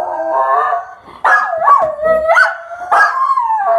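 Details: Miniature Schnauzer singing, recorded on 15 February 2015, a dog that loves to sing when given the chance: drawn-out wavering howls that rise and dip, with yodel-like breaks and short pauses between phrases.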